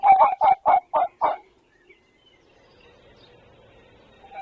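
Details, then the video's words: Wild male red fox barking, filmed 26 February 2024, a sound thought to be territorial. Five hoarse, yelping barks come in quick succession, about four per second, and are followed by near silence with faint background hiss. "The Sound of a Fox Barking"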